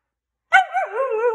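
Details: After a moment of silence a Siberian Husky gives a sharp bark-like onset that turns straight into a wavering, warbling howl with rising and falling pitch, one of a group of lively, hyperactive huskies.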